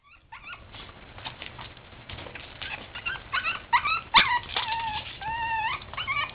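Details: Boston Terrier puppies playing make high whiny whimpers and squeaky yips, thin wavering cries that rise and fall, growing more frequent and louder in the second half.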